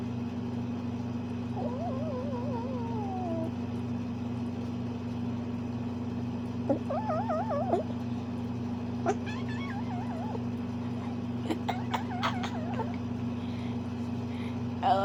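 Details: A playful Bengal cat makes varied noises: wavering, trilled chirps and short warbling calls in several bursts. A steady low electrical hum runs throughout, and a person speaks affectionately afterwards.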